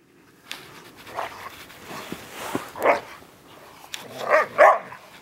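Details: Ibizan Hounds outdoors at their first snow on 8 December 2013 in Latvia; several short barks and yelps rise across the clip, with a woman calling the dogs' names in Russian between them.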